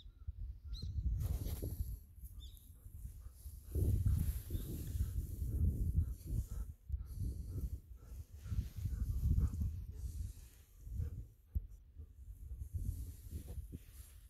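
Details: Golden Retriever Ibuki out in rice fields on an overcast winter day, breathing hard from running: rapid, irregular breathy puffs in loud bursts, mixed with rustling and low outdoor wind noise.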